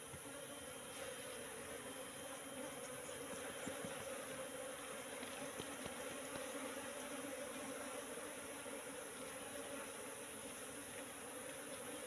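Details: Faint, unbroken drone of a wild Asian honey bee colony settling into a bee trap box that has stood for three months, the low buzzing tone steady for the whole stretch.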